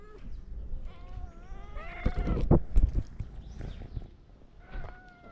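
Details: Several stray cats in Morocco call to the person who feeds them with overlapping, quavering meows, amid thumps and handling noises, while a man calls them over.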